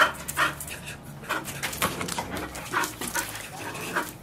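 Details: Bull Terrier playing with a solid bicycle tyre wrapped in nylon thread, which it cuts through in twenty minutes; rapid rhythmic panting and chewing noises, bursts repeating irregularly, no barks.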